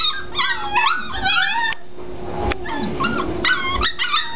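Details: Several five-week-old Springer Spaniel puppies giving high, wavering whines and squeaky yips, some rising then falling, overlapping in quick bursts over about four seconds, with soft background music and a person's voice nearby.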